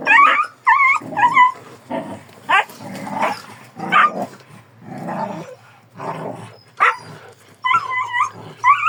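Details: Rough growls alternate with quick, quavering yips from a Kangal dog, repeated in uneven bursts about every second, with scuffling noise between them.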